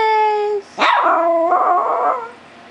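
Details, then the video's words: An elderly pet Chihuahua singing along with a steady electronic tone: after the tone cuts off, a rising yelp swells into a sustained wavering howl lasting about a second and a half, then fades. "the Singing Chihuahua"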